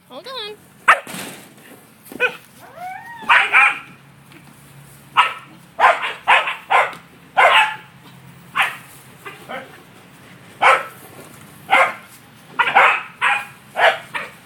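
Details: A male corgi herding an out-of-control yellow ball gives a few high whines, then a run of sharp, excited barks about once a second.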